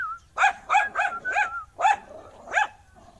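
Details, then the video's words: Angry dog barking hard and repeatedly, six loud harsh barks spaced roughly a third of a second apart, one with a brief whine between. "Angry Dog Barking Sound"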